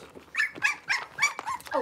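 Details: Six-week-old blenheim Cavalier King Charles Spaniel puppies, a litter of five born on New Year's, in an indoor puppy pen. About five short, high whining yelps crowd under two seconds, each bending up then down, with squeaky overtones.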